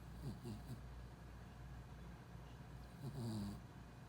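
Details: Four-month-old Pembroke Welsh Corgi puppy asleep after lots of play during a trip to a pet-friendly inn, giving two low rattling snores near the start and end, separated by quiet breathing indoors.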